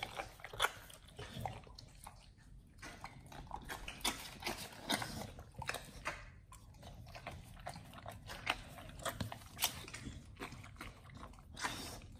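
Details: Pit Bulls feeding on raw beef chunks, quail egg and duck wing in an ASMR recording indoors: steady wet gnawing and crunching, bursts of crisp bites separated by brief quieter pauses, soft slurps throughout.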